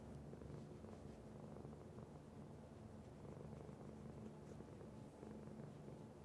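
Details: Domestic cat purring steadily, a coarse low hum pulsing with each inhale and exhale, unbroken and close.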